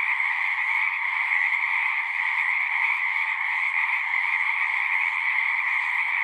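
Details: Frogs singing in a dense, unbroken chorus of natural sound, many overlapping croaks merging into a steady high-pitched trill with two bright bands, constant in loudness throughout, no other sounds standing out.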